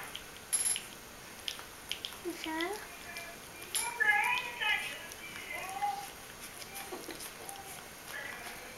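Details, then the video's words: Bichon Frisé puppies aged three weeks and four days at Vejles Lille Kennel: thin, squeaky whimpers that bend up and down in pitch, scattered irregularly across several seconds, with soft clicks and rustling in a small indoor room. "Bichon Frisé hvalpe på 3 uger og 4 dage."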